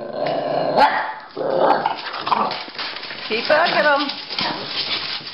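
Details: Pekingese and Bulldog playing chase, growling and giving gruff, rough barks in a busy tangle of noise, with a man talking over them.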